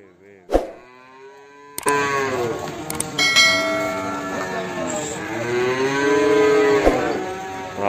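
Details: Limousin calf from Ambarketawang, Sleman: after a quiet start with a brief knock, long harmonic lowing swells in and wavers for several seconds, overlapping with murmured voices and clanks.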